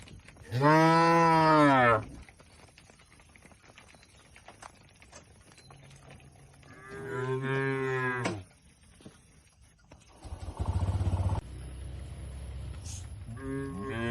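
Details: Tame cattle eating fresh grass amid an oil palm plantation in rural Indonesia; a loud, deep harmonic moo lasting over a second, a second moo near eight seconds, a low buzzing rumble, then the start of a third moo.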